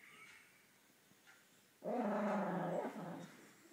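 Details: Dog making noises while dreaming: after near silence, a single moaning, harmonic growl-whine lasting just over a second, then fading away, with a faint trailing breath.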